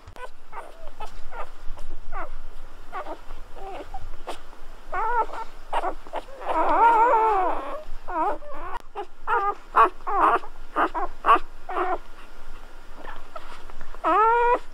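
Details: Golden Retriever puppies at birth, several newborns whimpering: rapid series of short squeaky whines, a longer wavering cry in the middle, and a final rising squeal, with faint background rustle.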